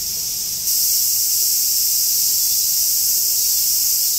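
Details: Japanese cicadas along the Tokai Shizen Hodo trail below the Yoro Mountains: an unbroken, hissing, very high buzz that fills the woods, growing slightly louder after the first second.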